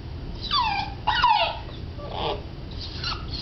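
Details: Cardigan Welsh corgi puppy on its first morning home whimpering: high thin whines slide downward, two clear cries early then softer whimpers, over a low steady background hum.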